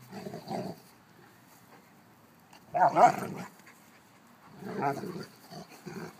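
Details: An old mastiff and a 6-month-old youngster trade three separate rough growling bursts, the middle one loudest, with quiet pauses between them.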